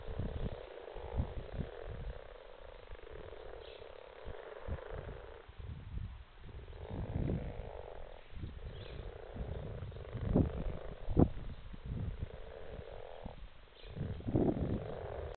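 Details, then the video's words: A pond full of frogs in February 2017: a continuous low chorus of purring croaks with scattered louder grunting bursts rising above the background murmur. "A pondful of frogs"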